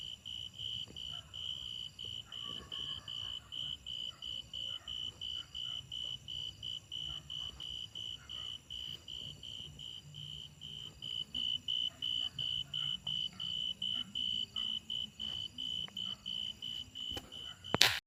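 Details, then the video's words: Grasshoppers calling in a steady high-pitched pulsed trill, rapid even bursts running throughout, faint low rumble beneath and a sharp knock at the very end. "The sound of grasshoppers"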